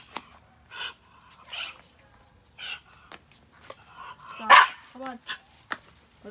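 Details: Buddy, a dog trading trash talk with other neighbourhood dogs, gives one loud, harsh bark near the end amid softer huffs, while a person repeatedly says stop and come on.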